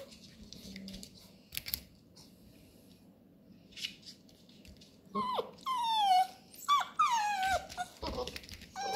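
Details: Labrador puppies at play with cardboard rolls: quiet rustling and chewing at first, then a burst of loud, wavering whines and squeaky yips sweeping downward, several in quick succession near the end.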